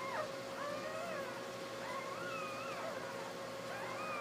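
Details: Basset Hound puppies born the day before, lying with their mother, whine and squeal in thin, wavering tones that overlap one another.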